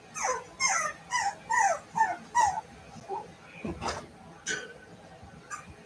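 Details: Cavalier King Charles Spaniel puppies playing together indoors in a home puppy pen: six quick, high whimpering yelps, each sliding downward in pitch, about two a second, followed by scuffling and a few fainter squeaks.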